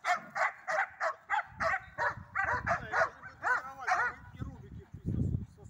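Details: Belgian Shepherd barking during a training session with first releases, recorded 31 March 2024: about ten harsh, loud barks in a steady series roughly every half second, then a person speaking and a low thump.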